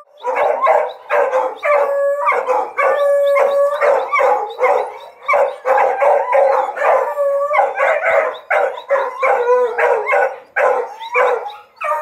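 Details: Pack of hunting dogs learning to hunt paca, a mix of sustained wavering howls and quick choppy barks, voices overlapping in a busy, loud chorus.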